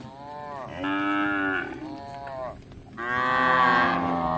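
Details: Tame cow wandering a village for grass lows twice: a sustained rich moo, a softer shorter tail, then a louder, longer bellow that holds steady before fading.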